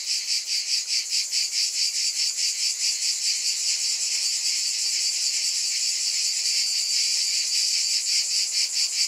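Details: Cicadas droning in a high, hissing wall of sound, clearly pulsed at first, then smoothing into an even buzz.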